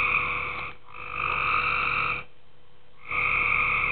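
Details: Night chorus of tree frogs in a pool, giving long nasal croaks with a rich harmonic ring, three calls in four seconds broken by brief silences, with a low constant hum underneath.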